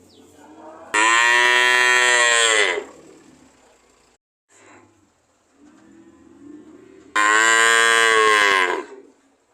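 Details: Cow mooing: two loud, long, harmonically rich moos, each lasting about two seconds and spaced roughly six seconds apart, with a softer low groaning moo in between and a faint steady background hum.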